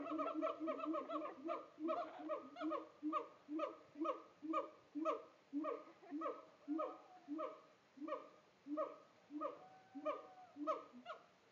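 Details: Captive siamangs in Tampa deliver a sustained, regular series of loud barks, roughly two per second, each a harsh, harmonic-rich whoop, with a few higher sliding wails breaking through in the second half.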